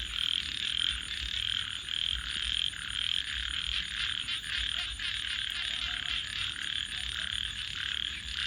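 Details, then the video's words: Frogs calling at night in a dense, steady chorus of overlapping high trills and croaks, with a continuous thin high whine above and faint low rumble beneath. "frogs 🐸 Sounds"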